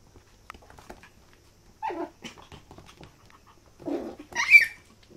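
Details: A parti-color poodle gives short whimpering yelps in two louder bursts, the second ending in a high, rising whine, with soft rustling and quiet gaps between them.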